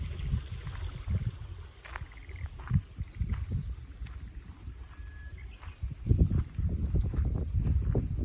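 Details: Golden Retriever breathing hard while walking beside a babbling river just before rain: fast rhythmic huffing pants, about four per second, with louder bursts toward the end over the murmur of flowing water.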